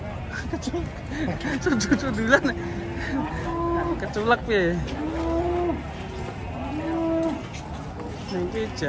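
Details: Cattle from a compilation of raging cows give a run of lowing calls: level drawn moos, one sharply bending cry near the middle, and arched moans later, amid low rumble and background noise.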